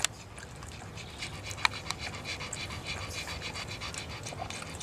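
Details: Pug panting steadily, a run of quick, breathy, hissing puffs that come in an uneven rhythm over a low background hum, with one sharp click partway through.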